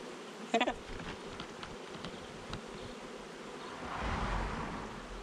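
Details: Honey bees of a swarm moving into a new hive after their queen, giving an even, dense buzzing hum, with a brief spoken word near the start and a swelling of the drone toward the end.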